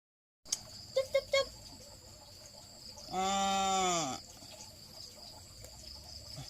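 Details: A pet cat happy at getting snacks gives one drawn-out wavering meow lasting about a second, after a few short clicks, over a steady background hum with a high whine.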